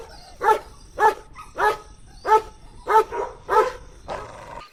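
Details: Puppies on a lush green meadow, drinking milk, let out seven short, evenly spaced barks, roughly one every half second, each a brief mid-pitched bow-wow, with a faint hum underneath.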